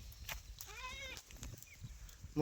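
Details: Free-range farmed goat at Kolwadi gives one short bleat, a clear voiced, slightly arching tone lasting about a third of a second, with rustling and faint human voices around it.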